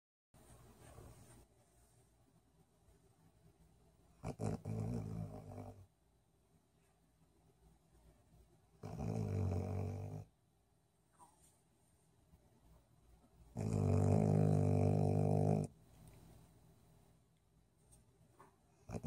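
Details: Golden Retriever snoring while asleep indoors: three separate rumbling, low-pitched bouts of about one and a half to two seconds each, separated by quiet pauses, the last bout loudest and fullest.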